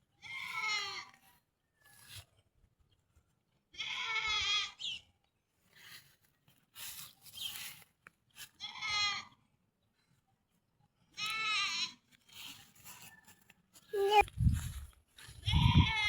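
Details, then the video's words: Goats bleating while being fed: a series of wavering, nasal bleats, each around a second long, coming in bursts separated by pauses, with light rustling and a few low thumps near the end. "Pakain ng kambing"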